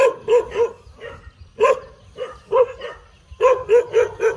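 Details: Tail-wagging dog giving rapid, yappy barks in quick runs of three or four, with a short gap in the middle before another fast burst.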